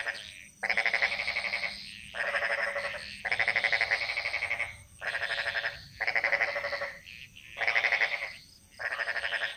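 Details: Frogs in a Bali jungle chorus, calls echoing: a run of loud, grating pulsed croaks, each roughly a second long, coming in quick succession with short silences, over a low steady background hum.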